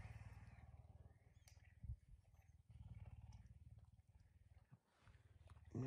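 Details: Pet puma at home in the morning, waking its owner early; soft, low throbbing purr in runs separated by short pauses, with scattered clicks and rustling.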